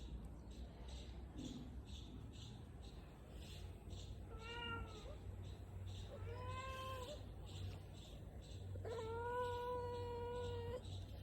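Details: Pet cat meowing and yawning at the same time: three drawn-out, tonal, slightly wavering meows, the last one longest, over a low steady background hum.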